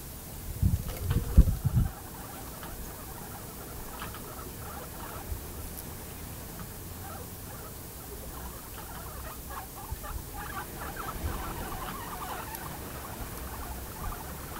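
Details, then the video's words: Pet guinea pigs kept at home: a burst of loud low bumps and rustling in the first two seconds, then a long run of soft, rapid pulsed chirps, about three or four per second, over a quiet hiss. "guinea pigs"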